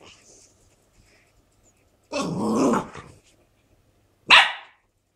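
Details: Shar Pei called Meda gives a rough, throaty growl lasting nearly a second, then after a short pause lets out one sharp, loud bark; otherwise the surroundings stay quiet.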